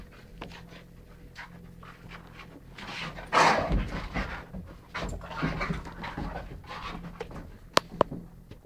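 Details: Rhodesian ridgeback and chocolate labrador playing a boisterous game indoors, November 2011; rough panting and growly grunts come in bursts, loudest around the middle, with sharp clicks and knocks of paws and toys on the floor.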